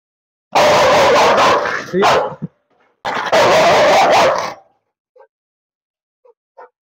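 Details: A Rottweiler described as a biter, kept in a cage while its handler tries to let it out, gives two long, loud, rough barks with a short gap between them, then faint brief sounds.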